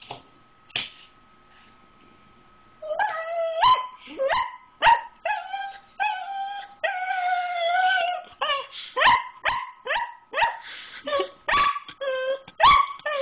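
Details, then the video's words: Indoor pet dog pleading for people food, a grilled cheese sandwich: after a brief quiet start, a dense stretch of wavering howls mixed with sharp yips and short barks, rising and falling, nearly continuous, with a woman telling her no. "Melts Down Over People Food"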